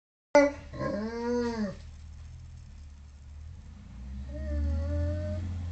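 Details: Tibetan Mastiff crying before he gets comfort food, a bag of Hawaiian rolls, indoors. A sudden yelp, then a drawn-out arched whine, a quiet pause, and a second thinner, steady whimper near the end with low room rumble.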